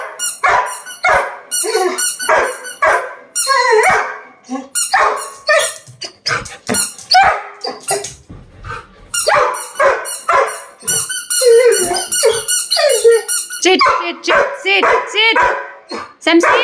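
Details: A male Labrador Retriever protests at not being given his toy with a long stream of squeaky yelps, whines and high barks, rapidly repeated and varying in pitch, barely pausing over the whole stretch.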